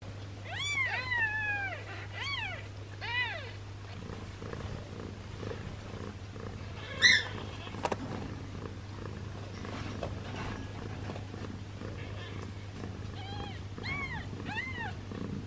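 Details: Newborn kitten with a swollen belly, possibly from trapped gas, being given a massage; high arched mews in a quick cluster early on, a sharp squeak near the middle, then more mews near the end over a steady low hum.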